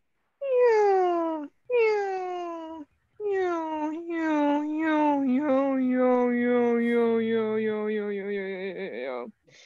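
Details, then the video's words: A seal calls underwater beneath the ice in Antarctica with drawn-out, descending, wailing tones that sound eerie and otherworldly, almost like a spaceship landing. "And it's these amazing seal sounds."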